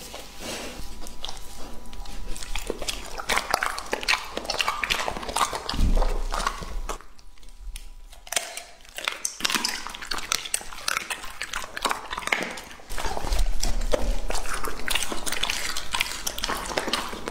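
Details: Lucky, a two-and-a-half-year-old male English-type Labrador Retriever, eats a raw meat meal indoors: irregular wet crunching and biting bursts about twice a second, with a brief quiet gap midway and a steady faint hum.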